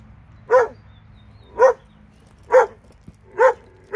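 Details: Two dogs in Alabama; short, sharp barks repeat at a steady pace roughly once a second, five in all, each bright and clipped, over a faint low background hum.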